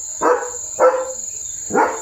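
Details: Leo, a German Shepherd, barking at night outside the house where a tractor was seen passing; three sharp barks spaced about three-quarters of a second apart, over a steady high insect drone and soft background hum.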